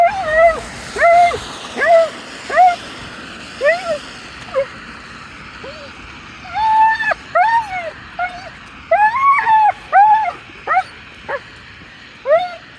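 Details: Dog whining insistently, with bursts of arched, nasal whimpers rising and dipping in pitch, coming in quick clusters with short pauses between, against a low background rumble.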